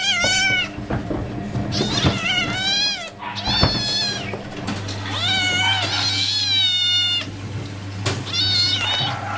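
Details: Hungry tigers being fed call repeatedly with strained, quavering mews, some rough and vibrating, in bursts separated by short pauses. A steady low hum starts midway.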